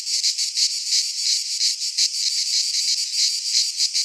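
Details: Short burst of midsummer cicada song in a pine forest in Greece: a piercing, vibrating buzz pulsing rapidly at an even level.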